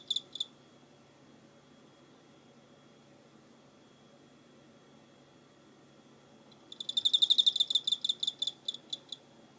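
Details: Cricket recorded on 24 November 2016: a brief pair of high pulsed chirps, then a long quiet pause, followed by a dense run of rapid ringing chirp bursts that slowly thin out toward the end.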